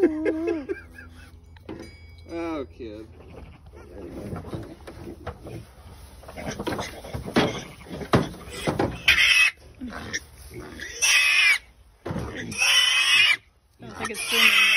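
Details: Purebred Berkshire piglets newly arrived at a farm after transport, pasture-raised stock: loud, harsh high-pitched squeals in long bursts fill the second half, broken by short pauses, after a few lower wavering calls and people talking early on.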